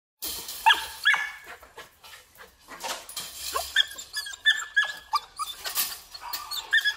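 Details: Female Belgian Malinois kept for breeding and guarding; thin, high whines and short yelps come in scattered bursts over a noisy, clattering background.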